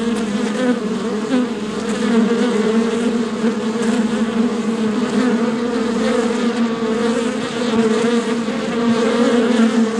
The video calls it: Bee Swarm Sound Effect Royalty Free Bees Swarmimg